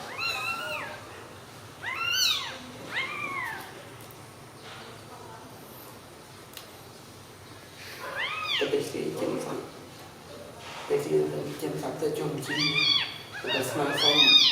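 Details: Newborn kittens sleeping together after milk give high, arching mews in short bursts, several in the first three seconds and again near the end, rising then falling, with quiet human voices murmuring between the bursts.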